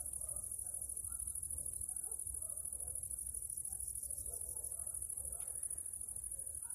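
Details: Crickets and other bugs singing their late afternoon songs among wild flowers in Transylvania: a steady, shimmering high-pitched buzz that runs without a break, over a low rumble of background noise.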